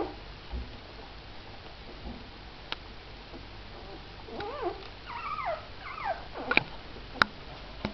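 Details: Missy, a mother dog with her four puppies indoors; after quiet early seconds, a short run of high, wavering whimpers rises and falls midway, with a few soft clicks and knocks in the room.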